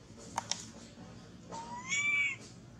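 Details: Baby monkey clinging to a tree, crying and shaking after losing its mother; a single drawn-out, tonal, slightly rising wail with bright overtones, preceded by two sharp clicks and faint background rustling.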